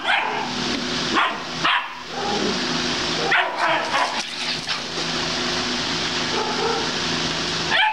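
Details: Barking castrated male German Shepherd, still dominant, mounting and marking everywhere; scattered loud barks, some in quick pairs, separated by gaps, over constant droning background noise with a voice faintly present.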